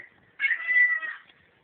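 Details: House cat answering its owner during a hallway exchange, captured on a cell phone: a loud, strained meow of about 0.8 seconds with an abrupt start and fading end, over light hiss.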